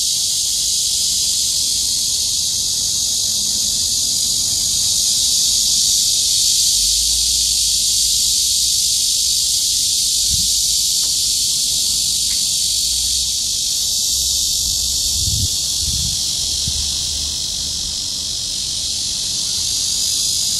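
A cicada's steady, high, hissing drone runs unbroken from start to finish.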